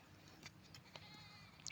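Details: Goat being herded along a river in the countryside: one short, faint bleat with a steady, buzzy tone near the end, after soft clicks, over low hum and quiet background noise.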